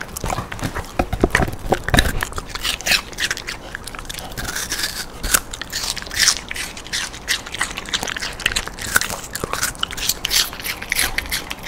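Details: Dog named Rando eating a quarter portion of sweet pear as a twice-weekly fruit snack indoors; dense crunchy biting and wet chewing clicks come in quick irregular bursts throughout, with no other sounds.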